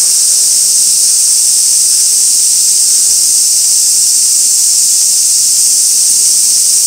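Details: Summer cicadas, Gaikotsu-yama, 2 August 2024, fixed camera at an old sawtooth oak visited by swarming white-spotted rose beetles: unbroken high, sizzling drone at constant loudness from start to finish.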